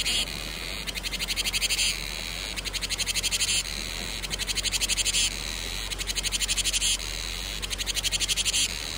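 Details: Cicadas calling in summer, a loud high-pitched rasping song in bursts of rapid, evenly ticking pulses, each burst lasting about a second and repeating after brief pauses, over a faint low background hum.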